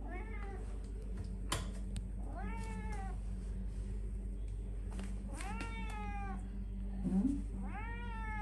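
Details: Cat meows from a January 2022 compilation of favourite cat clips: four drawn-out arched meows, each rising then falling, spaced about two to three seconds apart, over a steady low hum indoors.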